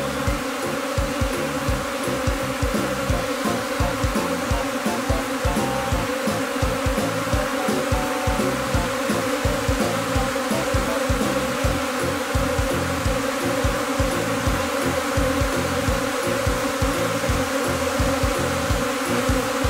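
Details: Japanese honeybees from a spring afterswarm clustering again on the same tree in Wakayama before being netted into a hive box; a thick, unbroken hum of countless bees with a pulsing low beat underneath.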